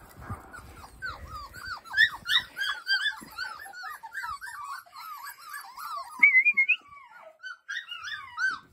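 Podenco hounds give rapid, high, yelping barks that overlap in an excited chorus.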